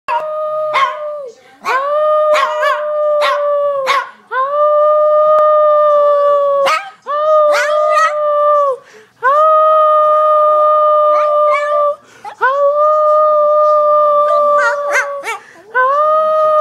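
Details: Lhasa Apso. A Lhasa Apso sings in a run of sustained, musical howls, each held steady for one to two seconds. Brief yips and sharper barks break in between the longer notes.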